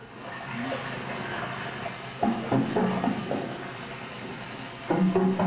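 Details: Underwater recording of gray whale conga or bongo calls, several whales sometimes calling at once: short bursts of metallic, knocking low tones over the crackling, bacon-frying hiss of snapping shrimp.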